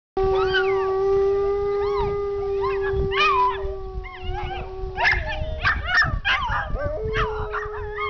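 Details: An Alaskan Malamute and a Dachshund howl along with a siren outdoors: the siren's long steady wail joined by wavering, yelping howls, the Dachshund trying hard to howl like the Malamute.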